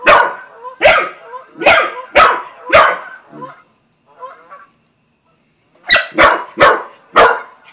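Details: Barking Australian Shepherd and Corgi mix called Buzz confronts Bread Bandit the cat; a run of five rapid barks, a quiet stretch with small whines, then four more sharp barks in quick succession.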